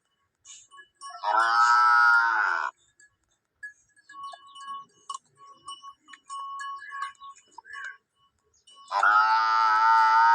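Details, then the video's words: Male water buffalo giving two drawn-out, harmonic moos, one near the start and one at the end, separated by a quiet gap with faint thin tonal notes. "Male Bafflow Sound effects"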